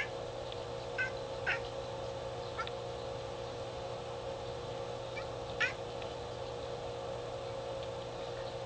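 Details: Pet cat at a window watching birds outdoors, giving a few scattered short clicking chirps, two close together early and one sharper burst later, against constant low household hum.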